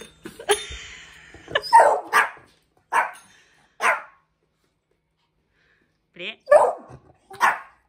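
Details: Indoor barking from a household with Hendo, a 10-month-old Pomeranian, and Salto the beagle during bell-ringing training: short, sharp barks spaced about a second apart, then a pause and two more, with a woman giving commands in Norwegian at the start.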